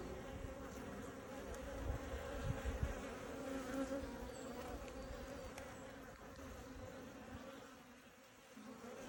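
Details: Honey bees during a hive inspection: a steady, droning hum with low tones and a clear overtone held throughout, swelling slightly near the start and fading a little toward the end.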